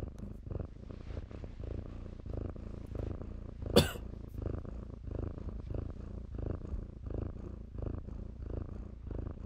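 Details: Kittens at play in blankets purr in a low, even rumble, rising and falling with each breath roughly once every half second, with a single sharp click or knock near the middle and light blanket rustle.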